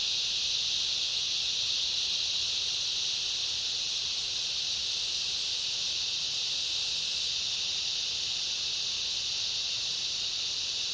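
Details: Cicada chorus with other insects in a summer rainforest: a steady shrill buzzing drone, its highest thin band cutting off about two-thirds through while the main lower buzz carries on unchanged.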